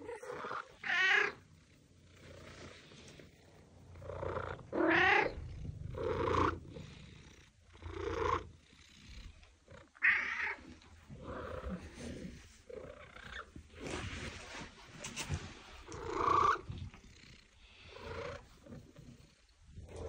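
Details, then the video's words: Domestic cat meows meant to attract cats and make them react: a series of short, bright, harmonic meows, some rising and falling, repeated roughly every one to two seconds, with quieter murmuring sounds in between. "Attract your cat - Meows to call your cat"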